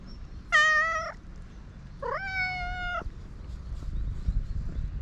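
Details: Hungry free-roaming cats on a Japanese cat island, waiting before being fed by a man; two drawn-out meows, the first rising then level, the second stronger and flat, over low background rumble.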